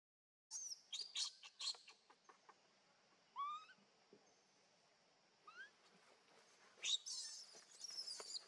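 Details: Hungry baby monkey crying and begging its mother for milk: shrill, high squeals in short bursts, then a pause with thin rising chirps, and later another sharp squealing outburst.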